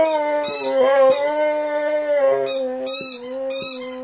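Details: A Saluki x Greyhound rescue dog called Zero singing with a squeaky ball toy. His even, drawn-out howl barely wavers and is joined by three loud bursts of high squeaking near the end.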